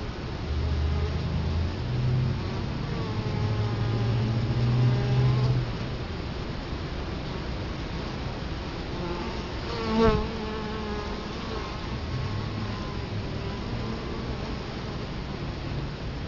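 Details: Italian honey bees at a hive entrance in Colorado Springs, October 2011, with the camera set right in front of the hive: a steady low droning hum with overlapping wavering buzz tones, a brief louder passing buzz near ten seconds.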